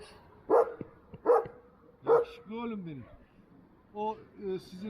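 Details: Duman, an old-type Kangal, lets out three loud, deep barks in quick succession, followed by a person's voice speaking.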